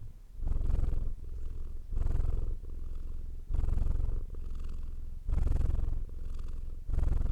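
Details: Continuous low cat purr pulsing between louder and softer phases about once every 0.8 seconds, a deep rhythmic rumble heard alone in a quiet setting.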